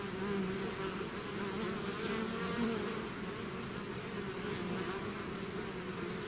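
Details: Bees swarming out of their hive produce an unbroken, layered buzz, a thick low droning hum with wavering overtones and a single slightly louder surge midway.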